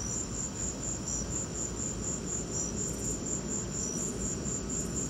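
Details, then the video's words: Crickets chirping during a lightning storm: thin, high chirps pulse in a fast, steady train, about four a second, with a second fainter slightly lower chirp interleaved, over a constant low rumbling hiss. "Lightning and crickets!"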